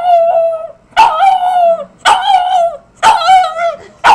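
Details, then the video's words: Loud, yodelling howls from Hank the Tank, a little dog 'talking' as if saying 'I love you'. There are four bursts about a second apart, each starting sharply and then gliding down. "Hank the Tank - Talking Dog"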